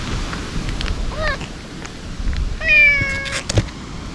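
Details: Stray ear-tipped cats crying at a feeding spot while food and treats are handed out: two meows, a short falling one and then a longer, steady drawn-out cry, over a low rumbling outdoor background with faint clicks.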